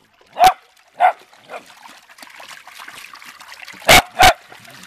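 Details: Beagle/Dachshund dogs having fun in water; three spaced barks, fading in strength, then splashing and trickling water, then two loud barks close together near the end.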